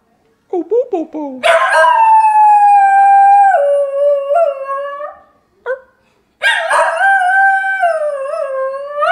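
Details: A few short low yelps lead into Niles the singing dog's long, loud howl that sags and wobbles in pitch, followed by a brief quiet gap and a second sustained howl.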